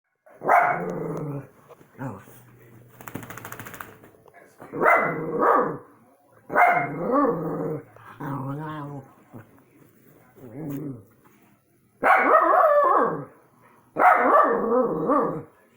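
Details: Pet dogs barking at orbs, giving loud, harsh barks in short bursts of two or three, with a rough, growly edge on some and a brief buzzy noise between them, over a steady low hum.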